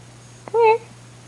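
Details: A pet cat named Rain, indoors at 11:30 at night, gives a single short, clear meow that rises and falls within about a quarter second, with a steady electrical hum underneath.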